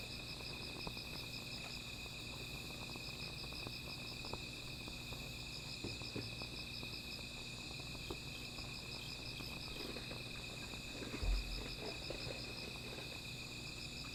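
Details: At night near a small fire, insects keep up a level shrill trill and a fast pulsing trill above it; scattered crackles from the fire and one low thump near the end.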